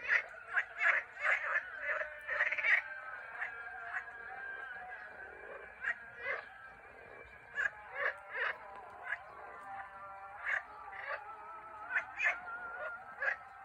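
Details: Chorus of frogs from Turkey, with quick clustered croaks early on, then evenly spaced rasping notes about once a second above a continuous tonal drone.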